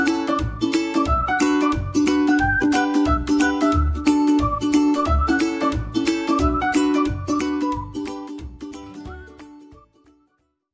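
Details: Plucked string music with a steady rhythmic beat fades out, and no animal sound is heard. The strummed chords and low percussive thumps end in silence near the close.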